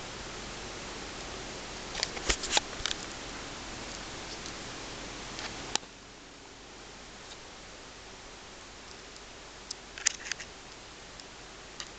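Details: Steady indoor hiss with scattered clicks and rustles, and a sharp tap midway.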